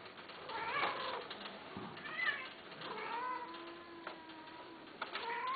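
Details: Mating Himalayan cats, a female and a male, give a series of wavering, strained meows and a long, low drawn-out yowl, overlapping in quick succession with small knocks between calls.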